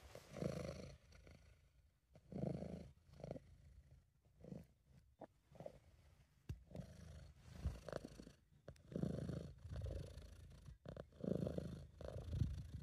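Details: Domestic British Shorthair named Sabu purring contentedly, amateur recording; deep rumbling pulses repeat roughly every second or two over a long stretch, rising and falling with breathing, a few faint clicks between.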